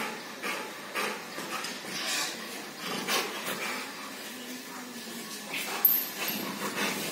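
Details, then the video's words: Rottweiler play-fighting with a person. Breathy, noisy huffs and snorts come in short bursts, with a faint, low, drawn-out whine near the middle, over rustling and handling noise. "Fighting with Rottweiler"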